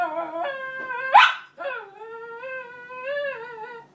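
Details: A female Cairn Terrier cries over her bed, wanting it back, in long, wavering, high-pitched whines broken by a brief sharp yelp.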